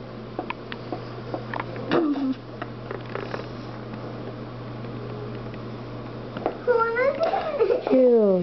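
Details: Neptune the pet cat, busy eating a bird, gives a few drawn-out wavering meows near the end, after scattered crunching and rustling, while a person speaks.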